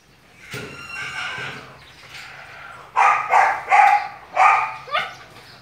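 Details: A purebred male long-haired German Shepherd at a breeding kennel gives a quick run of loud, deep, rough barks after some softer huffing sounds.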